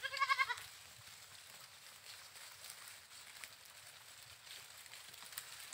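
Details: Goat giving a single short, wavering, nasal bleat lasting about half a second at the very start, followed by several seconds of quiet, low outdoor background noise with no further calls.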